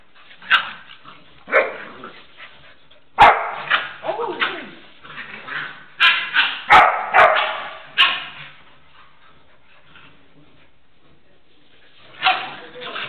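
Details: A female dog plays gently with a Pitbull puppy that barks at her and jumps to playfully 'attack' her; sharp yips and barks come in irregular bursts, some clustered closely, separated by quiet gaps, with faint speech.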